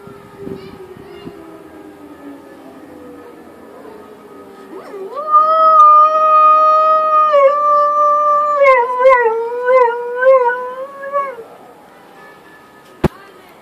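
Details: Gica, a pet dog, howls in response to a siren: a long falling tone, then a sustained tonal howl of about six seconds, first steady, then wavering in pitch with several dips before fading, ending with a sharp click.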